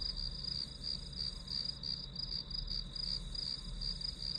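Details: Chirping grass insect in a white-noise study recording, its shrill pulses repeating roughly three per second over a constant high hum and low background rumble.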